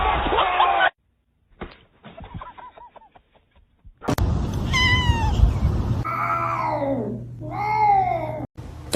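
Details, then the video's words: Kitten meowing indoors: after a muffled, musical opening and a short silence, two drawn-out meows arch up then down in pitch with rich harmonics, the second wavering and dipping in the middle, over low background hum. "kitten meowing call"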